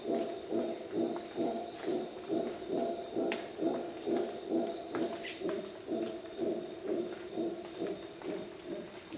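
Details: Howler monkeys calling at dawn in Costa Rican rainforest, a steady series of deep, hoarse roaring pulses about two per second, with a continuous high-pitched whine of insects behind them.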